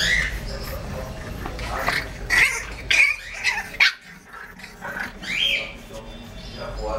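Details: Two 33-day-old English bulldog puppies, a white male and a golden-and-white female, give high, squeaky yelps and whines in irregular bursts.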